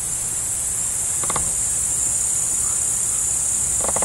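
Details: Crickets chirp alongside a deer in a steady, unbroken high-pitched insect chorus; two brief harsh calls from another animal cut in, one early and one at the very end.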